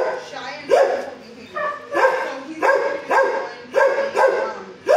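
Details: At the HSSAZ shelter, kennel 19, six-year-old dog Fozzie Bear barks at a person feeding the dogs: loud, hoarse single barks repeated roughly once a second in a steady rhythm, with faint background chatter.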